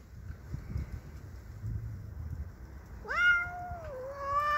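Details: A pet cat named Cassey, angry at a neighbour's cat entering her territory, gives a single rising then wavering yowl after several seconds of low background rumble.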